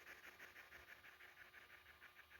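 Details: Elderly female hedgehog kept in captivity in Nebraska, USA, making her defence sound when disturbed: soft, quiet, rhythmic huffing puffs, about six per second, steady throughout.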